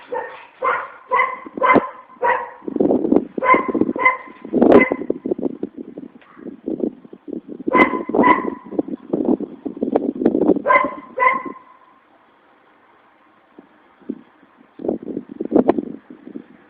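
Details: Dogs barking in quick irregular bursts, some barks sharp and ringing, others lower and rougher, in two long bouts separated by a brief near-silent pause, then a few final barks.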